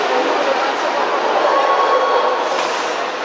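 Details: Dense, even hubbub of a crowded indoor hall with murmuring voices and no barking or other animal sound.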